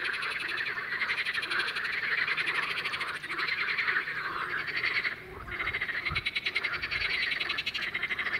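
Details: Spring mating chorus of male water frogs in a pond, many individuals calling together after one began: dense, continuous rattling croaks layered over each other, pulsing steadily without pause.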